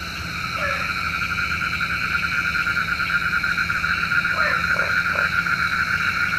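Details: Frogs calling at night, said to call rain; short croaks around the mid range, a brief one near the start and a cluster of several later, over a steady dense chorus of insect-like buzzing bands.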